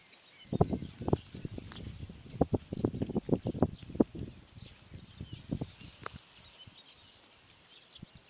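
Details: Grazing sheep on pasture tear grass near the microphone, dense crunching bites in the first half thinning to sparse, scattered munches, with a thin bird chirp far off.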